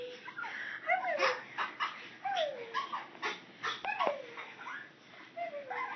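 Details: Teacup Chihuahua named Reeses, a female pet, greeting her owner on arriving home: a run of high, tonal whines that slide down in pitch, each about half a second, repeated roughly every second with a few short yips between.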